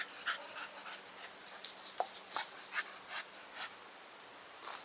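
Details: Staffordshire Bull Terrier Nikita breathing in short, airy, hissing pants, roughly three per second and irregular, with a faint low background hum.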